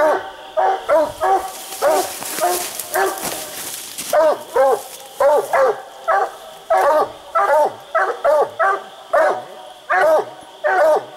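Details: Raccoon-hunting hound bays at a tree where quarry is treed, one of two dogs split treed on separate trees; rhythmic throaty barks, with a burst of hissy rustling noise early on and a constant high-pitched drone.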